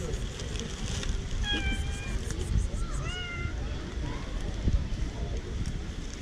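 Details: Female tabby cat in a park meowing for affection and petting: two clear tonal meows near 1.5 and 3 seconds, the first level and drawn out, the second sliding up then down, over steady outdoor murmur and distant voices.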